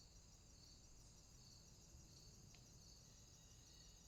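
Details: Night swamp crickets: an unbroken high-pitched shimmering trill from many callers, softly pulsing, with one faint quick tick partway through and a low hum beneath.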